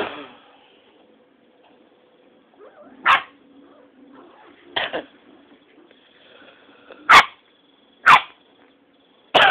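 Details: Six-week-old Rottweiler puppies fighting and playing together: five sharp, broadband bark-yips burst out at uneven intervals of one to two seconds, with soft whimpering and low rustling filling the gaps between them.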